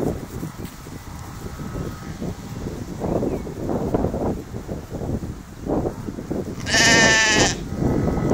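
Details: Sheep eating in a field; after soft rustling and munching noises, one loud, wavering, nasal bleat lasting under a second rings out near the end, over a faint steady engine hum.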